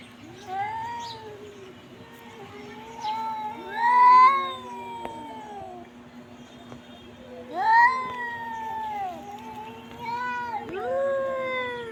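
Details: Pet cat giving a series of long, bending meows, some rising then falling, four or five loud cries spaced a few seconds apart, over a steady low electrical hum.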